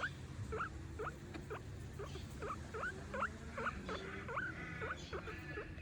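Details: A female pet guinea pig gives rapid, repeated high squeaks, rising wheeks, begging for food.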